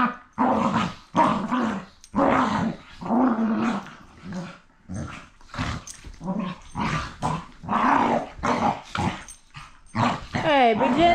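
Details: Two rough-playing rescue dogs growl and snarl almost continuously in loud rhythmic bursts. A brief rising whine-like yelp comes near the end.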